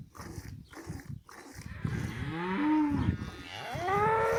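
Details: A cow in a village lows in the second half: a long, tonal moo that rises and bends, then a second rising call, following a stretch of regular bursts of rough noise.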